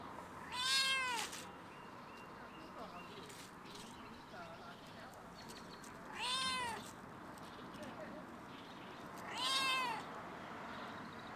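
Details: Stray cat on a fence at a campus closed for coronavirus meows at the person filming: three loud, bowed, harmonic meows spaced roughly three to five seconds apart over a soft outdoor background.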